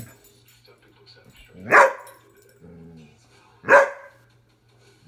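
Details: Airedale Terrier barking while playing and having fun with its owner indoors; two sharp single barks about two seconds apart, with a faint low hum and a brief human sound between them.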